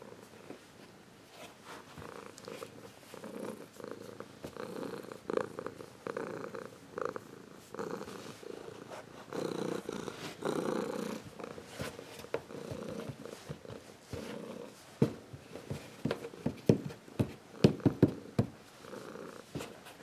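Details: Zeus, a Ragdoll cat grown from a kitten, purrs warmly in a low, steady rumble that swells and fades with each breath.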